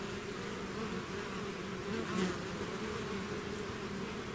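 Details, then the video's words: Swarm of bees leaving the hive: constant layered droning, with one nearer bee briefly louder at the midpoint as its pitch slides. "bees therapy swarm natural buzzing sound"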